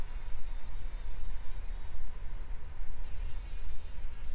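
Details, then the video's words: Struggling fly caught in a spider's web inside a workshop in the morning, buzzing in uneven pulsing bursts over a steady low droning rumble. "Überlebenskampf einer Fliege im Spinnennetz"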